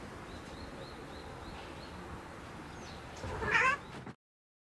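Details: Domestic cat excited at seeing birds outside gives a brief, loud, harmonic chattering cry near the end, after faint, evenly repeated high chirps and a steady background hiss.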